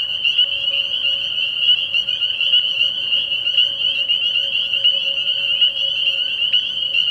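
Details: Early-year night chorus of spring peepers at a frog pond: shrill peeps overlap so thickly they form an unbroken, piercing high tone, with individual sharper notes poking out every second or so.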